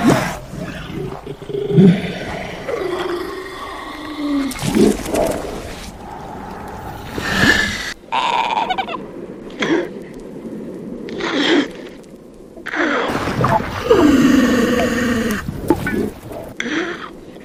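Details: Seal; courtship calls; courtship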